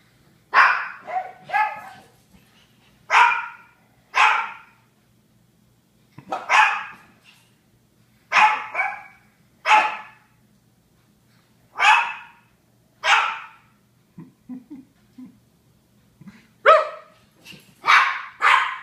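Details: Several Japanese Chins barking, bright yappy barks often in pairs spaced a second or two apart, a few soft short yips near the middle, steady faint low hum underneath.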